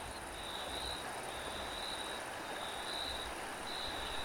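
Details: A cricket's high, pulsed chirps come in bursts roughly every second over a continuous hiss of wind.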